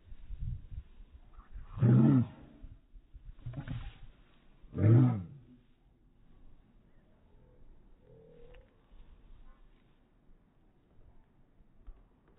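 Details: Two pit bull puppies playing together while Brutus, a Boxer, bullies them; three loud, rough, harsh growls burst out near two, three-and-a-half and five seconds, followed by quieter rustling and faint low grumbles.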